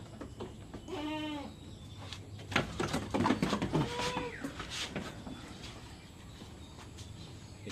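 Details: Farm goat bleating while being given an iron injection: a wavering, quavering bleat with stacked harmonics near one second, then a shorter, fainter bleat around four seconds, over clattering handling noise and background hum.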